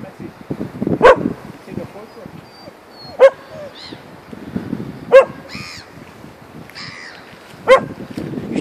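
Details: A dog barking at a swan gives four sharp, single mid-pitched barks, spaced roughly two to two and a half seconds apart, over soft background voices.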